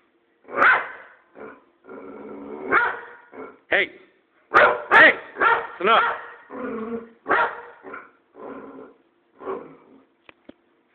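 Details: Pet boxer dog barking randomly at its owner: a quick irregular series of sharp barks interspersed with whiny, grumbling vocal sounds, about two per second, ending with faint clicks.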